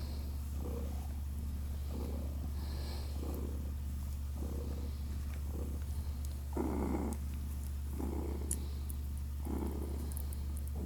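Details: Purring from six-day-old kittens Naoki and Kit as they drink, with rhythmic breathy bursts roughly every second riding on a steady low drone; a louder swell near the middle.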